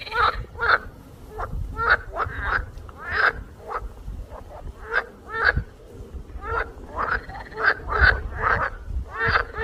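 Frogs croaking in short, harsh bursts that come quickly one after another.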